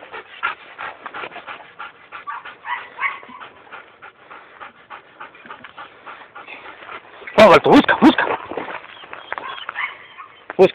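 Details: A German Shepherd on a scent test early in its nose training, with rapid breathy sniffing and panting at roughly three bursts a second, then a loud rustling clatter near the end.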